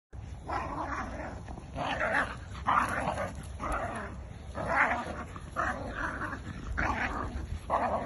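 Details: Jack Russell and Bull Terrier playing tug of war, one dog louder than the other, with rough rolling growls in bursts about every half second to a second, continuous and grumbling throughout.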